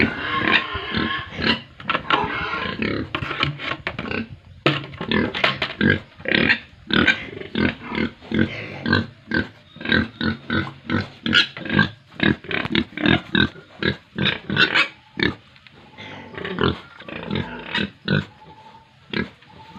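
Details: Pig and piglet chorus at a Tripura farm in India: steady stream of harsh short grunts and squeals, several animals calling over one another almost continuously for twenty seconds.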